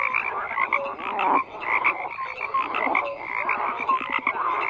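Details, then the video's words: Frogs croaking in a dense chorus, many overlapping calls with pulsed croaks and short tonal notes layered over one another, steady throughout with brief dips in loudness; no other sounds stand out. "FROGS CROAKING"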